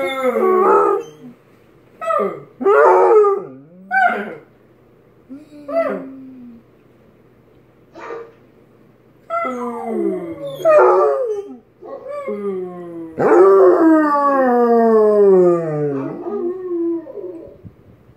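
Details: Basset Hound named Tank giving short yips and whimpers that build into a long, rich howl sliding down in pitch near the end; low steady hum in the background.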